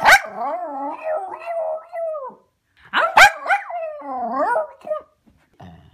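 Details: Cairn Terrier. A Cairn Terrier opens each outburst with a sharp bark, then slides into a drawn-out, wavering, gargling howl that rises and falls in pitch. The pattern repeats about three seconds later, ending in a short low grumble.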